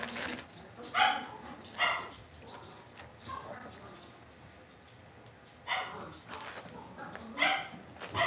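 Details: Cavalier King Charles Spaniel puppies kept indoors in a home puppy pen give scattered short, bright yaps, two early and two late, spaced irregularly over a low background murmur.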